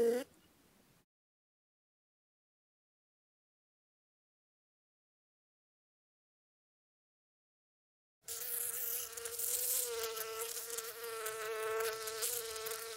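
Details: Bee among flowers, heard after a long silent stretch: a steady droning buzz with a rich stack of overtones, its pitch wavering slightly as it flies, lasting about five seconds.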